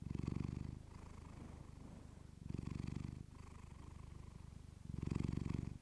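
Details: Low rumbling purr from Clementine the house cat, recorded up close with a fluffy mic; three louder inhale-exhale surges roughly two seconds apart, quieter purring in between.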